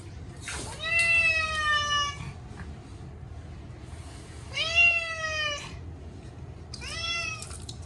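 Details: Munchkin cat Chacha, short-legged, wails in his annual bath: three loud, long meows, each about a second, rising slightly then sliding down, spaced a few seconds apart over quiet background.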